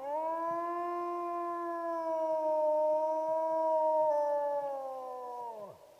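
A wolf gives a long, steady howl that holds its pitch, then slides down at the end.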